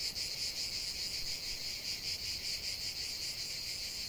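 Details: Chorus of cicadas singing in nature, a dense high-pitched buzzing drone pulsing in quick waves about two to three times per second, continuous without pause.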